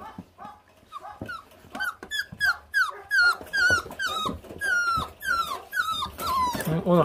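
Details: Five feral puppies, 28 days old, stripping raw meat to the bone; a steady string of high, falling whines and yelps, several each second, rising in intensity toward the end, with gnawing sounds and a person talking.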